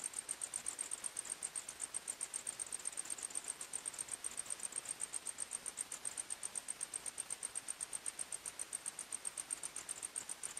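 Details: Crickets chirping at night in a forest, a high, thin pulsed trill repeated about four times per second, steady and even, over a soft hiss with no other animals or voices.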